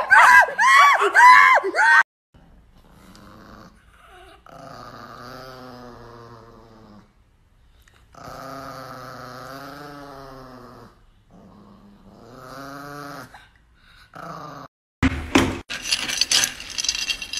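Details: Chihuahua growling in a funny dog compilation, apparently indoors in a small room. Drawn-out low rumbling grumbles come in several long bouts, rising and falling slightly. A brief high voice comes first, and sharp noisy bursts close the stretch.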